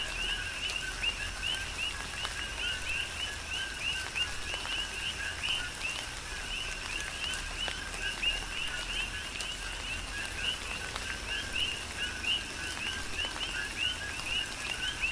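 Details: Chorus of coquis recorded during tropical rain on Hawaii's Big Island, numerous frogs giving quick upswept chirps that overlap continuously, set against a constant hiss of rainfall and occasional drips.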